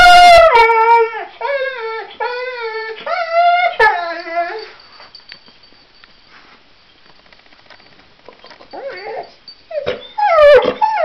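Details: Honey, a singing dog, howls in a series of short, wavering rising-and-falling notes for nearly five seconds. Quiet held keyboard tones follow, then a fresh burst of yipping howls near the end.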